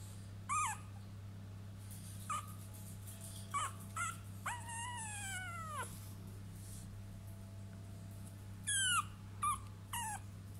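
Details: Three-week-old French Bulldog puppies give high, thin whimpers and squeaky yips over a steady low hum.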